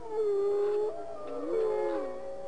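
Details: Gray wolf. Gray wolf howling: drawn-out, mellow notes hold steady, then bend and glide, with a second voice overlapping partway through. The howl serves to call scattered family members back together.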